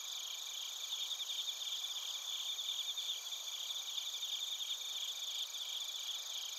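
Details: In Narita, Chiba, Japan, a crowd of crickets sings together, producing an unbroken high ringing blend of pulsing chirps and sustained bright tones throughout, quiet otherwise.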